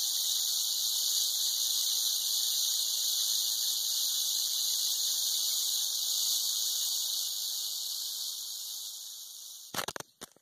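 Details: Steady, intense buzzing rattle of a western diamondback rattlesnake, sustained for about nine seconds, fading slightly and then cutting off abruptly, followed by a few sharp clicks.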